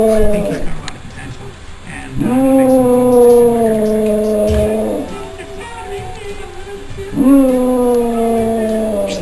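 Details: Almost four-year-old female German Shepherd–Chow Chow cross howls at the TV at home, giving three drawn-out, smooth howls that start with a rise then sag gently, with television voices and music playing underneath.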